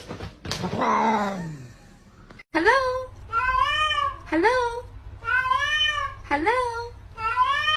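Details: Domestic cat meowing repeatedly indoors as a person talks to it, a rapid series of five or six drawn-out, bending meows about once a second after an opening harsher cry, over a steady low hum.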